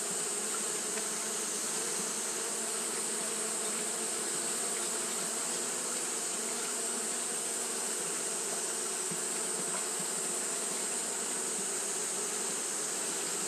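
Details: Steady massed wing hum of Japanese honey bees kept fanning through a hot day, a thick continuous drone with no pauses, under a constant sharp high hiss.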